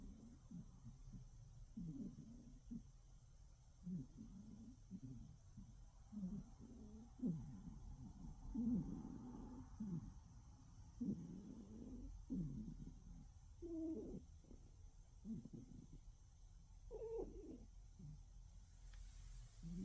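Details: Sleeping cat snoring softly: low, rough, breathy pulses in an uneven rhythm, roughly one each second, all quiet and deep, with a few slightly higher raspy snorts toward the end.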